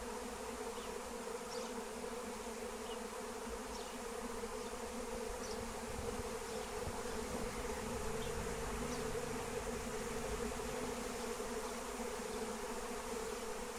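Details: Wild honeybee swarm in flight, being lured for capture with lemon balm (Melissa): a dense, steady hum of countless wingbeats, even and unbroken throughout, with faint scattered high ticks above it.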